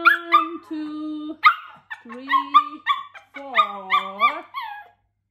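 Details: Pomeranian dog, male, indoors at home, barking while watching its owner work out; high yappy barks with harmonic whines and short sustained tones, irregular over five seconds.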